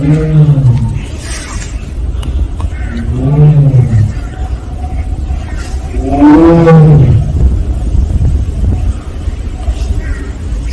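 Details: Siberian tiger of Penza's family at Seoul Grand Park giving 'aung' calls. Three short, rough moans spread over about ten seconds, the last the loudest, over steady low rumbling like distant traffic.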